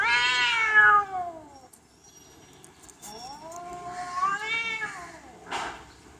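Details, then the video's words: Two loud meows from a domestic cat: a strong falling cry at the start, then after a short pause a longer wavering yowl that rises and then drops, followed by a short noisy burst. "Funny cats talking and yelling like humans"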